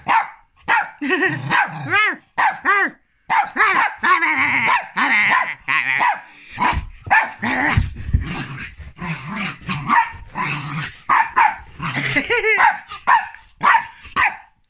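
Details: Jack Russell Terrier named Rua sounding off after a big zoomie run, a long excited stream of rapid barks mixed with whiny yips and brief growly stretches, calls packed closely with only short gaps throughout.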